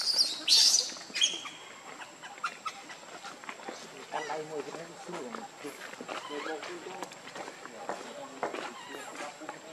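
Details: Baby monkey Lucie gives a loud, shrill squealing burst early on, then a long run of short, high, harmonic cries and squeaks at irregular intervals, with a faint steady insect hum behind.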